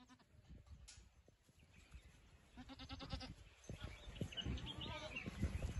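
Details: Boer goat ewe bleating faintly in a short nasal burst around the middle, amid shuffling, rustling and low background noise that grows louder toward the end.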